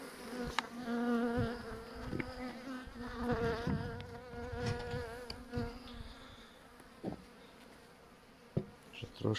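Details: Honey bee colony with a nosema problem, being treated with plain vinegar to acidify the hive, gives a steady droning hum with a low pitch and layered overtones, broken by occasional clicks and knocks.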